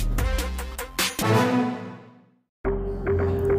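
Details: Dramatic orchestral music with deep drum hits fades out to a brief silence. It then resumes with a sustained tone, and no animal voice can be picked out.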